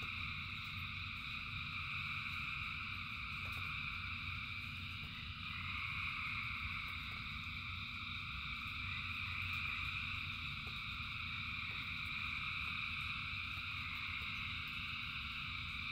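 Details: Thousands of frogs sing through rainfall, their overlapping trills holding a steady high drone that swells slightly midway, over a constant low rumble of rain and scattered drip sounds.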